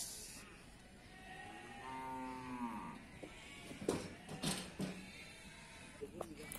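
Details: Cattle at the Pasar Wage livestock market in Bumiayu, Indonesia; one low, harmonic moo lasting about a second, amid market bustle, people talking and scattered knocks and clatter.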